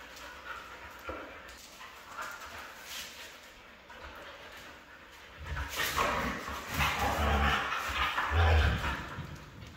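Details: A red female Siberian husky gives a run of whining, yelping calls, some drawn out and some clipped into quick yips, starting soft and rising to louder, more urgent outbursts in the second half.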